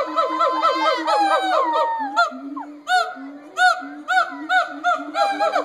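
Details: At the Cincinnati Zoo, gibbons howl and hoot: a rapid run of bright, wavering notes, then evenly spaced arched whoops over steady low hoots, about one and a half per second.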